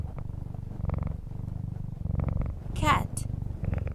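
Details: Purring cat: low pulsing rumble repeated with each breath, with one brief high sweeping chirp near the end.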